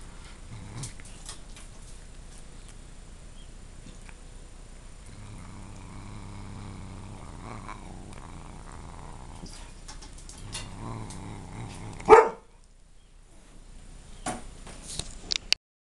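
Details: A cat named Dieago growls over a dog treat he is eating. Two quiet, low rumbling bouts are heard midway. They are followed by one sharp, loud knock and then near silence.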